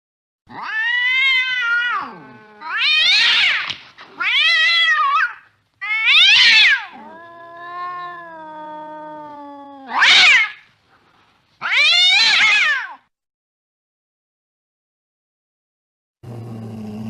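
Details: Late at night a cat chasing a mouse gives a run of about seven harsh, wavering caterwauls. Between them comes a lower drawn-out moan, then silence and a brief burst of noise.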